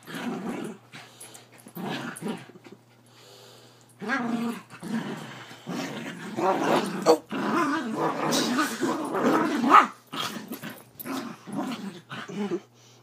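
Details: Havanese growling while play wrestling on a bed, very vocal: bursts of rough, harmonic growls and grumbles in uneven runs of one to three seconds, separated by short pauses, with bedding rustle.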